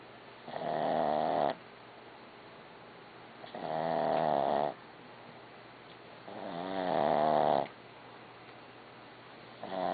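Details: Barbie, a dog, snoring regularly; rasping harmonic snores about a second long return every three seconds, quiet breathing noise between them.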